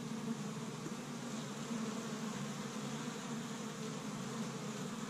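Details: Many honey bees active at an established Michigan hive on spring's first warm day, collecting tree-bud pollen; continuous low droning hum with slight flickers in loudness as individual bees pass close.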